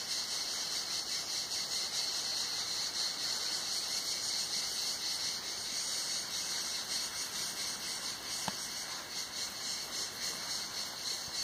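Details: Chorus of cicadas in hot summer at Tenuta Zimarino, recorded beneath a mulberry pergola; an unbroken shrill buzz pulsing slightly about once a second, with a brief click partway through.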